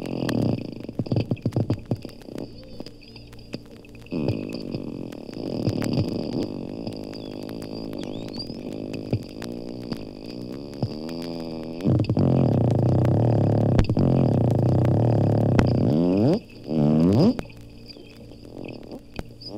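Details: Underwater sounds of two captive dolphins at Bimini's Lerner Marine Laboratory in the Bahamas. Rapid click series merge into buzzy, creaking-door rattles that rise and fall, broken by loose single clicks.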